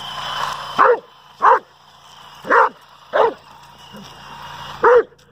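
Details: Dobermann Pinscher, a pet dog, barking at a remote-control toy car: six sharp, separate barks spaced about a second apart, with a faint engine-like whine in the background.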